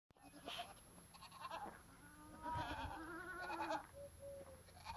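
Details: Goats on a farm bleating; a few harmonic, wavering bleats rise from low murmurs in the second half, with background rustling and faint other animal noises.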